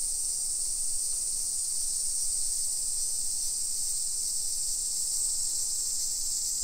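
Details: A suburban street in Nisshin city near Nagoya, Japan, at 1 PM on 28 July 2021, filled with summer cicada song. An intense, seamless high sizzle persists, with no pauses, for the whole stretch.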